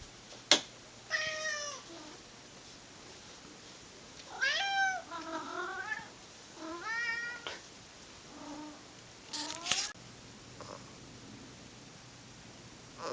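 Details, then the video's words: Domestic cats Monkey and Dipper in old home footage, giving drawn-out, wavering yowls. Four main harmonic cries rise and bend over about thirteen seconds, with quieter meows between them and a sharp knock near the start. "Cats!: Monkey and Dipper (Yowling, Fetching and Snoring)"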